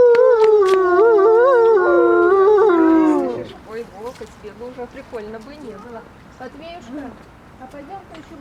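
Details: Caged wolves at Grodno Zoo: a loud, sustained, gently quavering howl that falls away after about three seconds, followed by quieter, wobbling howls and yelps in the background with human voices nearby.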